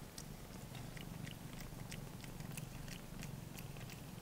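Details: Three-week-old blue point bicolour Ragdoll kitten, a male born 28 February 2016, being licked clean by its mother; low pulsing purr runs under a rapid series of sharp wet licking clicks.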